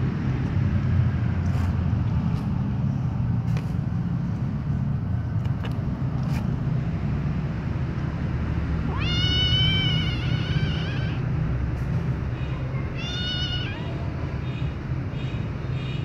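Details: White baby kitten being licked by its mother gives two loud meows, the first long and rising then falling, the second shorter, against a constant low rumble and scattered faint clicks.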